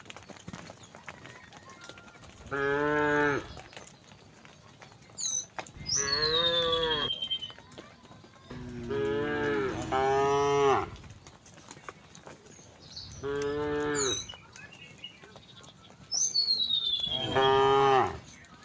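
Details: Several resident cows calmly wandering on a village road moo in turn, long harmonic bellows rising then falling, each lasting one to two seconds.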